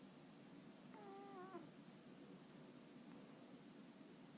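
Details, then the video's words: A sleeping cat makes a soft whistling breath sound, a faint wavering tone about half a second long, heard once over a steady low background hum. "寝息をたてて寝る猫 cat to make a zizzing sound"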